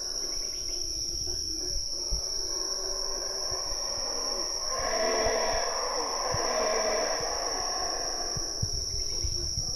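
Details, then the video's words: Belize howler monkeys at Chaa Creek jungle, two rough, swelling roars in the middle of the stretch, set against a steady shrill hum of insects and faint rustling. "Belize Howler Monkeys screeching"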